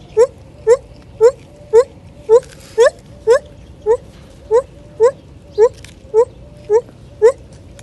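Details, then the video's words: Lar gibbon singing among tropical fruit trees: a loud, regular series of short rising hoots, about two per second, fourteen notes in all, each sweeping upward, over a faint steady hum and quiet background. "Lar gibbons - amazing lar gibbons singing"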